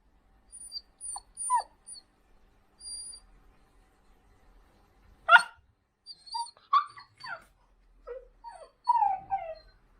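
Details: Labrador Retriever giving soft fawning whines: short, thin, high tones in scattered bursts, some sliding downward, with brief pauses between, plus a faint high whistled tone early on.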